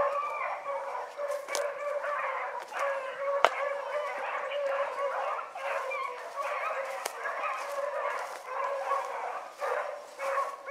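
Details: Hound pups Ringo, Mingo and Choco run a rabbit in the morning, baying together: overlapping drawn-out, ringing bawls and yelps form a steady, unbroken chorus with a few sharp snaps of brush in the background.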